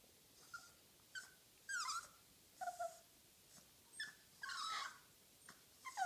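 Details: A French Bulldog puppy, about four months old, playing indoors, gives short, high whines and squeaky yips, some sliding downward, with snuffly breaths between.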